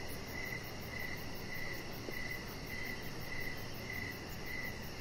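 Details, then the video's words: Outdoor evening ambience of crickets near a resting chihuahua on a deck. Shrill chirps pulse at an even pace, close to two each second, over a broad steady hiss. "Cricket Sounds"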